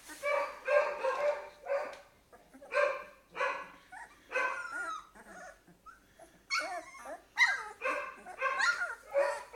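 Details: Two-week-old Golden Retriever puppies from a bred litter, eyes newly open, crying in distress: short harmonic whimpers in bursts, then wavering, sliding whines, with a person speaking softly over them.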